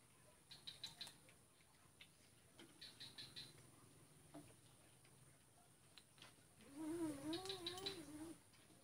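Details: Feeding cats, male yielding to the female, Kuala Kapuas, Central Kalimantan, Indonesia, 2 December 2018; soft clicking chewing sounds, then a low, drawn-out, quavering meow lasting about a second and a half near the end.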